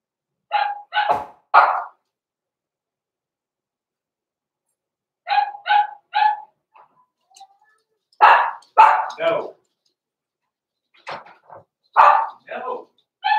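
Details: Blenheim Cavalier King Charles Spaniel puppies, born November 14, 2022, in an indoor puppy pen at Christmas time, giving short, bright barks in quick bursts of two or three, separated by silent gaps, with brief faint voices between.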